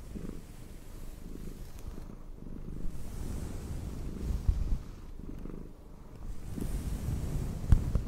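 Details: Low rumbling purr from a domestic cat being brushed, steady vibrating tone with slow swells and occasional soft clicks of the brush.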